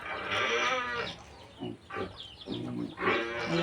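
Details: Domestic goats raised on a farm bleat while eating peanut leaves: harmonic, wavering bleats open and close the moment, with human speech and soft farmyard noise in between.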